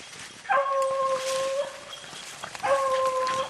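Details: Beagle on a rabbit hunt in the rain giving two long, drawn-out howling bays, each held over a second, over a constant wash of rainfall.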